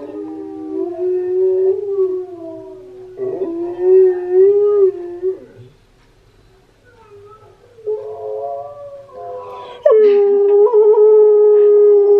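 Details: Steel the Husky singing to an attentive husky named Key, who tilts his head: smooth mid-pitched howls that waver and dip, a quiet pause, then stronger, higher howls rising again.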